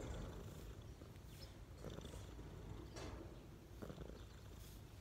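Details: A cat lies relaxed on a person's knees. Its continuous low purr sits under light rustling and brief brushing sounds.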